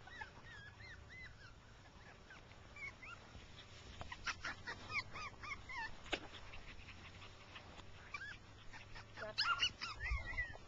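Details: Six-week-old rough coat Jack Russell Terrier pups playing with their mother in grass, giving thin arched whimpers and yips, scattered through the clip and clustering near the end, with outdoor background hiss.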